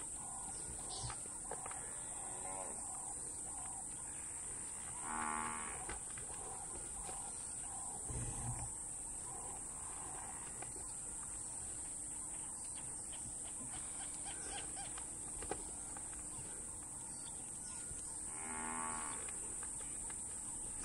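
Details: Two Cape buffalo bulls headbutting and clashing in the wild African bush. Drawn-out, moo-like bellows with layered harmonic pulses rise twice from a run of softer repeated grunts, over a steady high hiss that lasts throughout.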